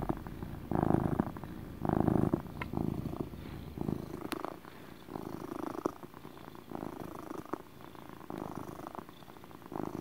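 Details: A male pet cat doing motor purrs, strong rumbling pulses at first that grow softer and less regular, with faint small clicks and shuffles near the microphone.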